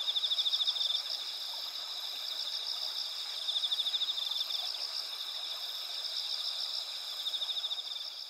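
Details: Autumn insects at night on 20 September 2021, in Asuka village's rice fields with pampas grass and spider lilies under a clear, nearly full moon, trill in a steady high chorus with pulsed chirping phrases rising over it.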